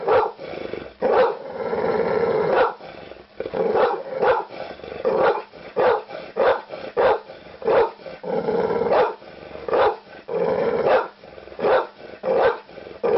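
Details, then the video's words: Harsh barking from a pit bull, a rapid string of short sharp barks mixed with longer raspy, snarling stretches, mid-pitched and loud, with nothing else audible. "Pitbull barking"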